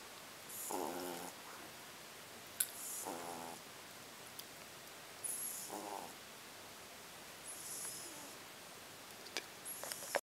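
A sleeping French Bulldog puppy snores steadily, a buzzy, vibrating rattle on each breath about every two and a half seconds. Airy, hissing breaths fall between the rattles in an otherwise quiet room.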